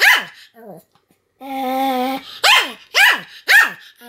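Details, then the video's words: Pomeranian dog barking continuously: sharp high yaps with downward-sweeping harmonics, a short whimper, a sustained whiny howl-like note, then three rapid barks about half a second apart. "犬の鳴き声 ポメラニアン サムの連続吠え"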